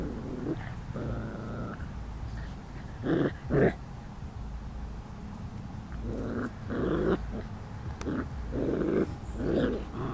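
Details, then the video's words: Almost five-week-old puppies of a dog named Lacey playing together, giving low rumbling growls and short grunting bursts in scattered clusters, with faint background hum. "Lacey's almost 5 week old puppies playing"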